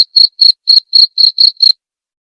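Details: Brief burst of cricket song meant for training white-rumped shamas: seven clear, high-pitched chirps in under two seconds, then silence.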